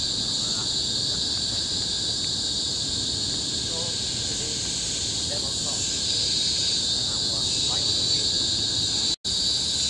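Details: Loud monotonous shrill of cicadas in a tropical forest on Bukit Timah Hill, Singapore, 2017, holding steady throughout, with faint soft chirps from other creatures scattered beneath and a brief dropout near the end.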